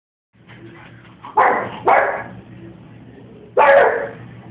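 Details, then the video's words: Pug barking at a toilet indoors: three sharp, loud barks, two close together then one after a pause of nearly two seconds, over a quiet room hum. "Pug barking at scary toilet!"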